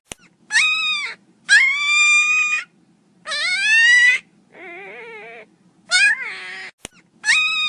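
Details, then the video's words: Mini pinscher puppies crying loudly indoors: a series of high, harmonic whining cries, each about a second long, some rising then level, one lower nasal whine, separated by short silences, with a couple of sharp clicks. "cachorrinho chorando alto"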